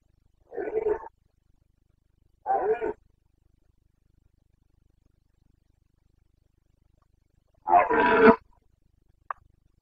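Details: Boncănit of a wild Carpathian stag, Bucovina, breeding season 2022: two short, hoarse roars close together, a pause of several seconds, then a longer, louder bellow, with no other sounds around.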